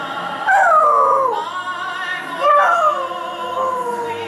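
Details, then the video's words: Dog howling along to Kate Smith's recording of God Bless America played during the New York Yankees' seventh-inning stretch; two long, wavering howls that start high and slide downward, with the song playing underneath. "dog sings to Kate Smith - God Bless America"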